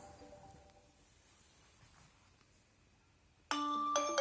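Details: A quiet indoor room with faint tones gives way to a loud electronic alarm-clock melody, and no animal sound is heard.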